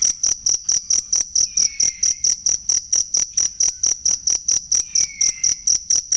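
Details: Cricket used as masteran material for songbird training. Shrill chirps pulse evenly a little over twice per second, and two soft downward-sliding whistles appear in the background.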